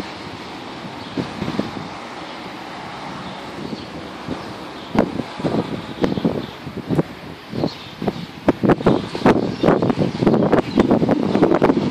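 Wind buffeting the microphone and passing traffic, with rustling and irregular knocks, but no clear animal voice.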